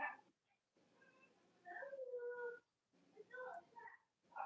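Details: Young Cavalier King Charles Spaniel puppies, Robin and Myra's litters, whimper in drawn-out, tonal whines that waver and slide downward, broken by short pauses, with a faint room hum beneath.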